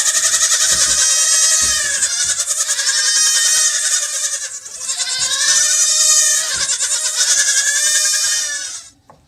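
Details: Goat on a farm calling in long, loud, quavering bleats, three drawn-out harmonic cries of about three seconds each, run together with a pulsing tremble, ending abruptly.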